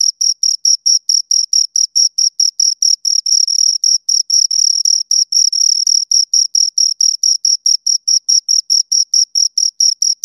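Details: Two crickets giving a steady stream of sharp, shrill chirps, regular short pulses with a few slightly longer ones, recorded close and clean with no background noise.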